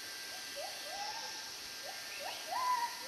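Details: At least five or six gibbons, heard but not seen in the forest on a strongly sunny day where they call regularly, give overlapping rising whoops, each with a different voice, over a steady hiss.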